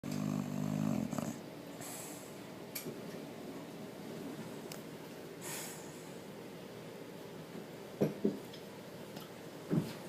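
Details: Missile the dog asleep indoors, opening with a loud, buzzy, harmonic snore lasting about a second, then quieter soft breathing with a few brief snorts near the end.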